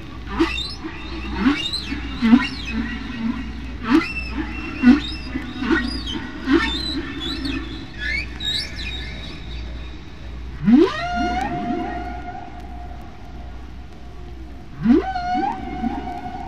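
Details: One humpback whale sings near Bermuda in spring, recorded by hydrophone over deep water at natural speed and pitch: squeaky whistles over low rumbly moans, then two long harmonic upswept cries, echoing off waves and undersea canyons, faint hiss underneath.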